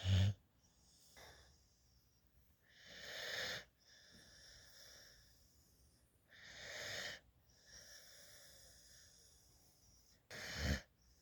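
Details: A sleeping female puppy adopted from a dog rescue lies in a lap, drooling, her tongue sticking out. Wheezy, snuffling snore breaths come about every three to four seconds, four in all, over a quiet background.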